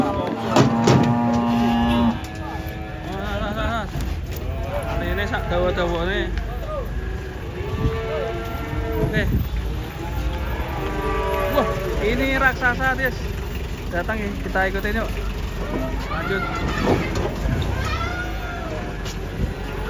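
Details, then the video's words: An angry banteng breaking loose while being unloaded from a truck gives repeated deep, harmonic moos, some rising and falling, amid constant shouting men and engine rumble. "AWAS BANTENG NYA NGAMUK LEPAS TURUN DARI TRUK"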